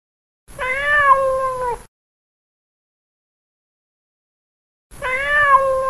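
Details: Two long meows, each over a second long, come about four seconds apart from a fat cat while it plays, with silence between them.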